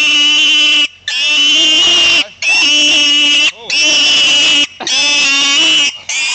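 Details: Shrill, sustained pig squeals, each lasting about one second, separated by brief silent breaks; loud, piercing, strongly harmonic screams repeated steadily.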